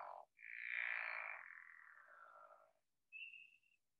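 A pickerel frog gives a long, low, snoring rattle, followed by a single high peep from a spring peeper.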